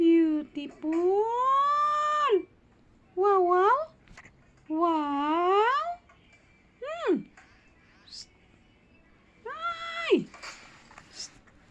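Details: A kitten going back to sleep gives several meows indoors: two long plaintive cries rising then sagging, followed by shorter sharply falling mews, with quiet gaps and faint room noise between them.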